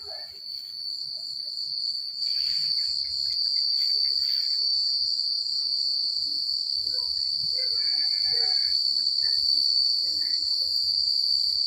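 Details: Night chorus of crickets in quiet rural countryside, an unbroken high-pitched shrill ringing, over a soft low rumble, with faint warbling notes from another creature around the middle.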